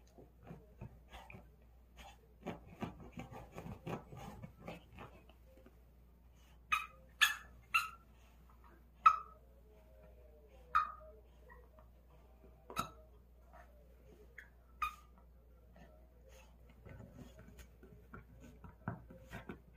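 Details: A dog playing with a ball gives short, sharp yelps in a loose series. They come in a cluster around the middle, then thin out. Softer scuffling and tapping run underneath.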